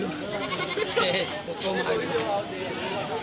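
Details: Goat (Capra hircus) gives loud, wavering, scream-like bleats while people talk nearby.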